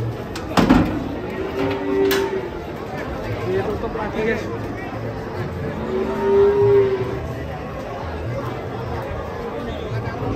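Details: A sacrificial cow rampaging as it comes down off a truck gives a few drawn-out, steady low moos, one short and one longer, under excited human chatter and a sharp knock near the start.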